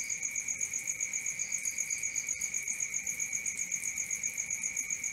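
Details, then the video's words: A night chorus of crickets, an even, shrill, sustained chirping in two high tones with a steady rhythmic beat, a couple of short clicks breaking through. "Cricket 1 hour for Sleeping & Relaxation, Black Screen, ASMR, Dark Screen Nature Sounds"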